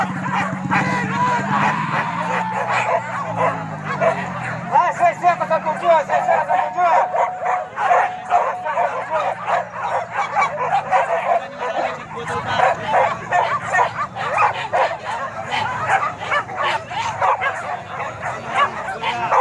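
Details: Boar-hunting dogs at Kayu Ampek in Tanah Datar regency give rapid, overlapping barks and yelps throughout, with a low droning hum early on and speech blending into the chorus.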